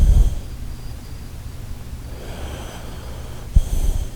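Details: Shiba Inu Koharu asleep, giving a short breathy snort at the start and another about three and a half seconds later, with quiet low hum and faint breathing in between.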